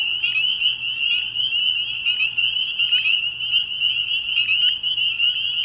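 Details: Night chorus of spring peepers at a frog pond in early spring. Countless high, whistled peeps overlap into one unbroken, ringing drone that holds steady for the whole stretch.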